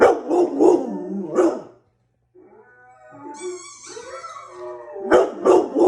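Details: Pet dog giving several quick barks, a brief pause, then a rising, wavering howl that climbs higher before ending in another cluster of sharp barks.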